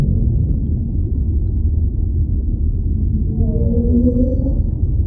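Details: Underwater whale vocalizing: about three seconds in, two overlapping smooth tones swoop and glide, rising then falling for roughly a second and a half, set against a constant low oceanic rumble.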